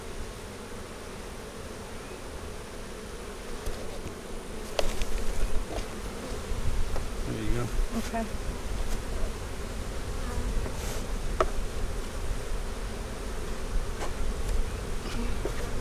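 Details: Dense low hum of a honey bee colony during an April 15, 2017 inspection of a split made March 4, the main hive divided three ways. Rumbling buzz grows louder after five seconds, with occasional sharp clicks and knocks.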